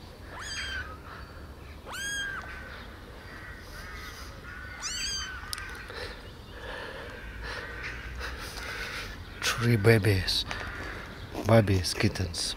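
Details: Tiny abandoned kittens, rescued from the street eight days earlier and kept in a warm basement, walk about and drink milk from a syringe; three high, arched, harmonic mews sound in the first five seconds, then a person's voice near the end over low hum.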